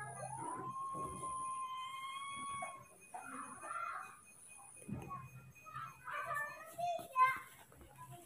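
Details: Young monkeys Moni and Mino react with fear and anger to an unfamiliar cameraman, one giving a long, clear, even-pitched wail with a slight rise, lasting nearly three seconds, followed by people speaking and brief squeaks.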